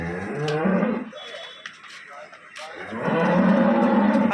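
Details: Pregnant dairy cow, eight months along, at a dairy farm in Bangladesh: two drawn-out, nasal moos separated by a quiet gap, with men talking nearby.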